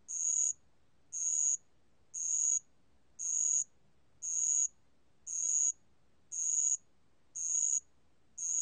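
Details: Steady band-legged ground cricket song: a long series of sharp, high buzzing trills, about half a second each, pulsing once per second in a regular beat, quiet background otherwise.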